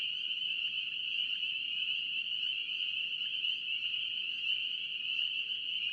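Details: North Carolina spring peeper frogs call en masse, their shrill peeps fused into one even, high ringing drone, with a few faint upward-slurred notes standing out against a quiet low hum.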